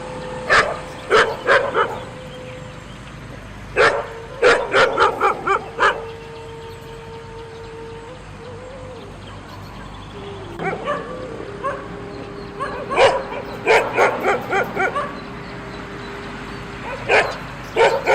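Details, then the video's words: Repeated dog barking, loud clipped woofs coming in irregular bunches of two to five, with pauses between groups, over a constant hiss and a faint steady whine-like tone. "Dog sounds | Dogs Voice | Dog barking"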